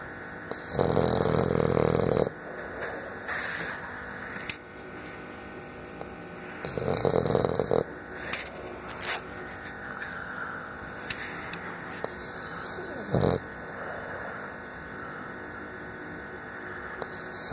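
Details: French Bulldog snoring indoors: loud, rasping snores at about 1–2, 7 and 13 seconds, with quieter breathing between them over a steady electrical hum.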